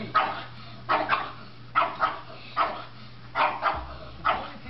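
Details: Pug barking in a home setting, from a compilation of funny pug moments: about six short, sharp barks, some doubled, coming in bursts roughly every second over a steady low electrical hum.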